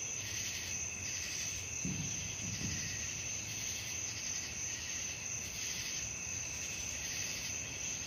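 A night chorus of crickets, a steady high shrill trill that pulses gently without pause.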